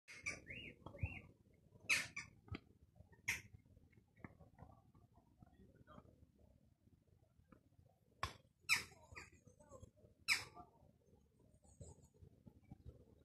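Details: Squirrel in Gildredge Park, Eastbourne, East Sussex, UK, at 4 pm on 31 May 2022. Sharp, broadband chucks come at irregular intervals, about six in thirteen seconds. Thin rising whistles open the recording over a low background rumble.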